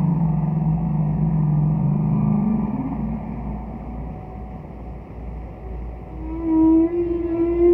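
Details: A far-off humpback whale sings in Roger Payne's classic recordings: a deep wavering moan slides slightly upward for three seconds, a quiet pause follows, then a clear rising tonal unit with harmonics closes over steady low hum.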